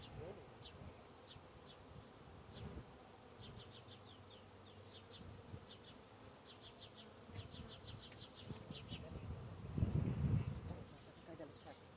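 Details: Honey bees living under a beehive hum in a low, steady drone, with brief high ticks and chirps above.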